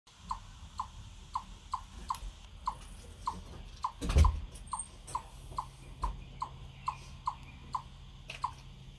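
A chipmunk gives a steady series of sharp, mid-pitched chirps, about two every second.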